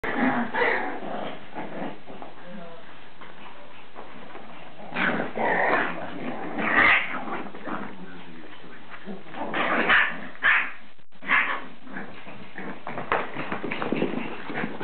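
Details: Littermate Shiba Inu puppies fight, trading short rasping growls, yips, whimpers and high yelping squeals in uneven bursts, with human speech underneath and brief quiet gaps between flurries.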